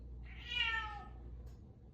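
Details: Bengal cat giving a meow indoors, heard every morning and evening at 8:02; one bright, harmonic-rich meow of under a second that slides downward at the end, followed by a faint short sound and low background hum.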